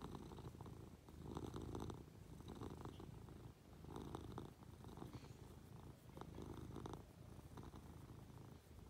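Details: Munchkin cat purring while affectionately climbing onto its owner in bed; steady low rumbling purr swelling and fading in cycles about every two to three seconds with the breath, soft rustling of bedding above it.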